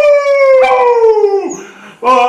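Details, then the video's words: Schnauzer howling along as the national anthem is sung, a long sustained tone sliding slowly downward with rich overtones, breaking off, then starting a fresh higher howl at the end. "schnauzer sings national anthem"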